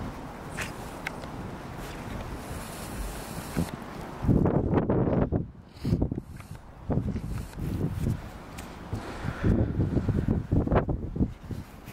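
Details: Outdoor wind noise with crunching footsteps and rustling, likely walking through snow, and no clear animal call.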